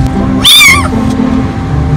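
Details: Young rescued kitten, found hungry, frail and scared under a car, gives one loud, short, high meow that rises and then falls, over steady background hum.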